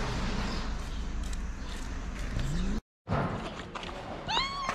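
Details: Cat in Morocco, a female avoiding a male seeking to mate; a single short rising meow near the end, after a stretch of background noise with a brief dropout.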